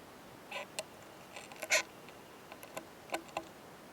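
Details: Oomadarakokunusuto beetle, a male with a female in mating behaviour, found in a high-mountain pine forest, giving a loud 'kan kan kan' sound: sharp, dry clicks and taps, irregularly spaced, about ten in four seconds, over a quiet background.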